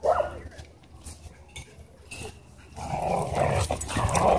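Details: At a dog park, a dog pinned down by an aggressive husky; brief snarl at the start, a quiet stretch, then sustained rough growling and harsh barking bursts toward the end.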